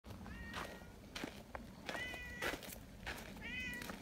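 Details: Friendly community cats in Japan greeting a visitor and wanting to be petted together: several clear rising-falling meows, one roughly every second, with harmonic tones, mixed with rustling, footsteps and faint human voices.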